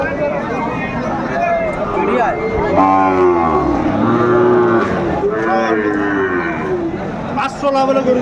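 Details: Sahiwal bull calves at a Kurigram cattle market in Bangladesh, Saturday 27 July 2024: several long, rich moos, some bending downward, overlapping one another, with people talking in the background.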